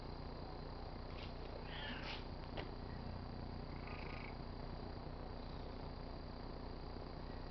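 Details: Tabby house cat rubbing on a car antenna, purring in a continuous low rumble, with a few short squeaky higher sounds early on and near the middle.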